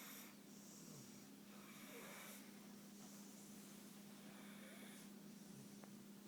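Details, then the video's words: Sleeping pit bull named Suge, comfortable on the couch, gives a few soft snorting snores with longer quiet gaps between breaths, set against a low steady background hum. "Suge our pitbull snoring"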